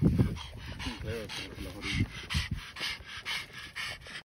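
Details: A Boston Terrier cooling down after getting too hot at 18 degrees in April 2024 pants quickly, a steady run of breathy, hissing puffs.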